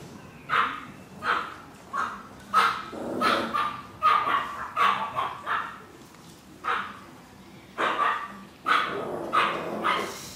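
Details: Chihuahua puppies offered for sale, yapping in short high barks, about one to two per second in uneven bursts with brief pauses between runs.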